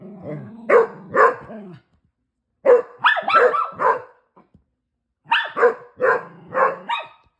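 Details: Shelby, a female Basset Hound playing with her big sister and brothers, gives clustered barks: a pair, then a fast run of four, then another group of four after a short silence, in a small indoor room.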